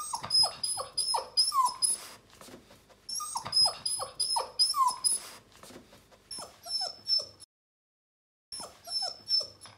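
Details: Bernese Mountain Dog puppy in its new house for the first time, giving rapid series of short descending whimpers and yips in quick runs, pausing, then starting again after a moment of silence.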